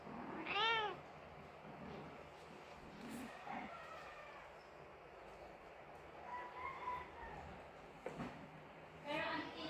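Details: Mother Persian cat whose kitten died, crying with a rising-falling meow at the start and another near the end, with soft human speech and faint rustling between.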